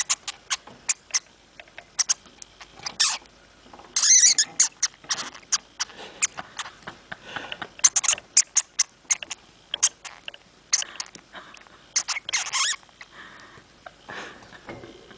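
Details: Domestic hamster giving rapid high squeaks, mostly short sharp chirps in irregular series, with a few longer shrill squeals around the middle and near the end, faint scratching between them.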